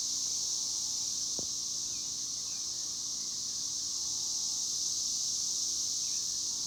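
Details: Steady, high buzzing drone of chicharras, cicadas, continuous and even without pauses, with a brief click partway through and faint low rumble underneath.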